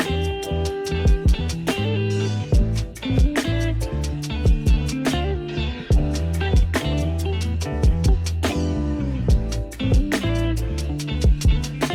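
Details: Strummed guitar music with bass plays throughout, and no animal sound is heard.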